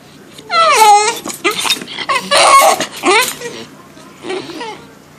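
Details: Deaf male bull terrier complaining indoors about being woken up: a string of drawn-out, wavering moaning whines that rise and fall in pitch, some almost talking or crying in tone, in several bursts with short pauses between.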